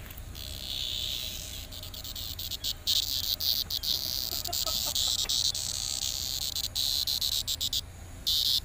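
A cicada produces an intense, sustained electric buzz, high and hissing, with brief dips and surges in loudness. A faint low hum sits underneath the insect's steady drone.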